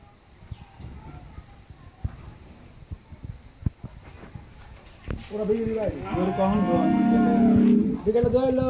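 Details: Nine-months-pregnant Holstein Friesian dairy cow awaiting her second calving on a farm in Pabna, Bangladesh, gives a long, steady, deep moo lasting about three seconds with strong harmonics, after soft clicks and faint background noise.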